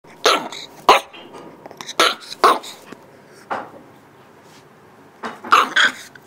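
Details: An 8-week-old Shiba Inu puppy barks indoors to show who is boss, while its young mother stays unmoved nearby. It gives short, sharp, husky yaps in irregular bursts, about eight in six seconds, with pauses between them.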